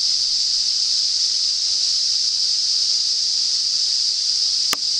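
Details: Cicada chorus at the start of summer in north-east Australia, a continuous shrill buzzing drone without pauses or pitch change, broken only by one brief sharp click near the end.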